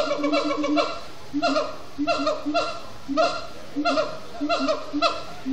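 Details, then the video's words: Siamang gibbons chanting at sundown, extended singing after frenetic play: rapid series of loud, barking whoops in quick bursts of three to five notes, repeated about twice a second, overlapping voices, steady background hum. "Siamang gibbons at Sundown"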